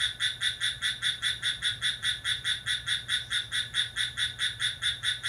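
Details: Cricket singing vigorously in the dead of night, July 6: loud, high, buzzy-ringing pulses about four to five per second, evenly repeated throughout, with a soft low hum behind.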